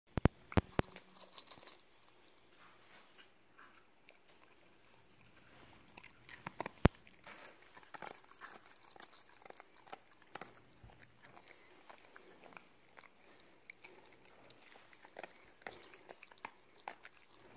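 A Cocker Spaniel eats, with scattered crunching, clicking and chewing noises in a quiet indoor room.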